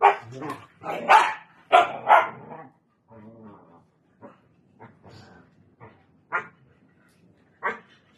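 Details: Siberian Husky teasing a Belgian Malinois: rapid rough barks and yelps in the first three seconds, then a soft harmonic whine and scattered single barks.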